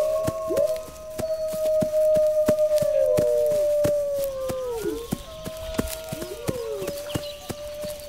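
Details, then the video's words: Wolves howling, with the howl said to tell pack members to ready defenses against an attack: long steady mid-pitched howls overlapping, some bending downward near the end, over a steady sharp clicking tick throughout. "Wolves Howling"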